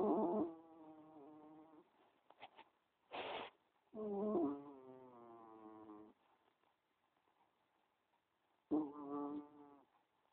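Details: A sleeping cat snoring: squeaky, tonal snores, each one to two seconds long, return every four to five seconds with quiet breathing pauses between them.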